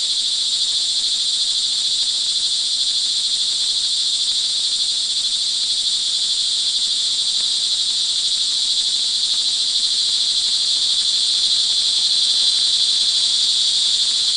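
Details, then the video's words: Crickets calling in the rain in the early evening of June 24, 2011, at Montalban, Rizal, Philippines: a dense, unbroken high-pitched trilling chorus that holds steady throughout, with a faint low hum underneath. "sound recording of crickets in the rain"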